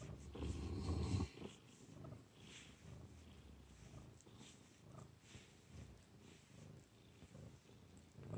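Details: Domestic cat purring: a low, steady rumble that is loudest in the first second, then settles into a softer continuous throb with faint rhythmic pulses.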